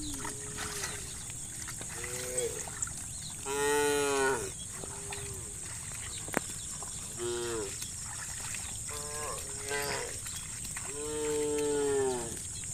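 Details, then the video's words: Dozens of tame cattle roam muddy rice fields toward fresh grass, calling repeatedly: about eight overlapping moos from several animals, some short and clipped, others long and rich, against a constant shrill hum. "Dozens of tame cows roam the muddy rice fields towards fresh grass, the sound of cows mooing"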